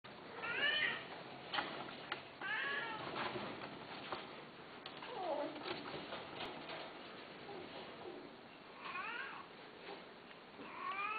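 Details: Domestic cats meowing indoors: several drawn-out, wavering meows with rising then falling pitch, around 0.5, 2.5, 9 and 11 seconds, over a steady background hiss with faint low murmurs between calls.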